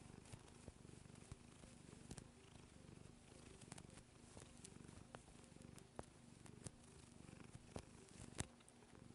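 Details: Indoor female cat, almost nine years old, kneading and purring; continuous deep, fast-pulsing purr over the whole stretch, punctuated by faint clicking sounds.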